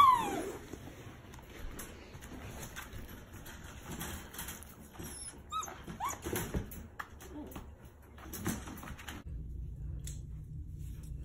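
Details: Two six-week-old rescue puppies, a brother and sister found alone at five weeks, play together in foster care, giving short high squeaky yips and soft whimpers, opening with a rising squeal, while a person talks quietly in the background.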